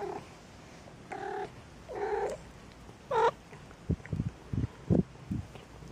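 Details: Maine Coon kittens indoors at a cattery in Saint Petersburg, Russia: three short harmonic meows, one rising and falling, then a run of low soft thumps and bumps.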